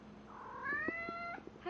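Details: Domestic cat calling out while mating with a stuffed animal; one long, steady, slightly rising harmonic yowl with faint thumps and rustling underneath.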